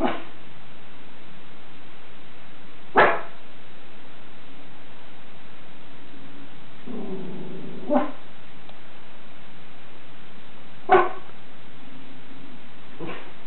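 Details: Schipperke dog on guard at home: four abrupt single barks spaced a few seconds apart, with a brief low growling sound between them and a constant low background hum.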